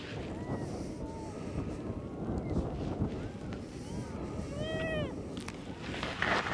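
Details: A newborn yellow-coat harp seal pup gives short, rising-and-falling wails with a nasal, almost human tone as it begs its mother for milk. Strong wind roars throughout and partly covers the calls.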